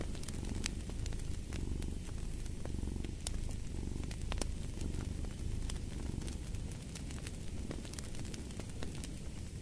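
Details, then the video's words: Low, vibrating purr from a cat rising and falling in regular waves beneath the busy crackling and popping of fireplace flames. "Purring of a Cat"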